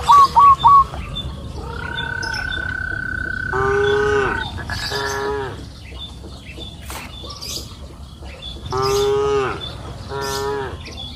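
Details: Cows grazing freely on a green pasture hill in the afternoon: two drawn-out, harmonic moos about five seconds apart, with quick bird chirps at the start and a long steady whistled tone in between.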